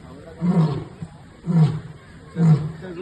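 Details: A lion at a zoo gives deep, grunting roars, three low bursts about a second apart.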